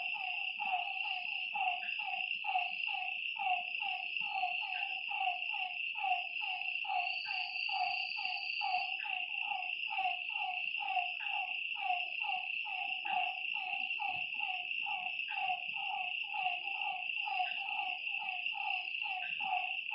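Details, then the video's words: Frogs calling at night beside a lake: short, slightly falling croaks repeated about once a second, overlapping into a steady chorus, over a continuous high, shrill insect drone. "Lakeside night creatures and frog sounds"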